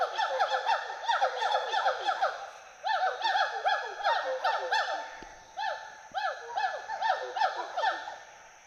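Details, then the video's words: Two Western hoolock gibbons playing and swinging through trees at Hollongapar Gibbon Sanctuary, Assam, give rapid whooping hoots, each note a rising-falling arc with bright overtones, repeated more than twice a second in a lively, overlapping chorus. "The sounds of Western Hoolock Gibbons playing among trees fill the Hollongapar Gibbon Sanctuary"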